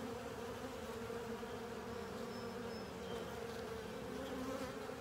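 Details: A crowd of honey bees and fellow insects cleaning a honey filter, heard as a constant swarm drone with a prominent mid-range buzz, a lower hum below, and faint high whines from single passing insects.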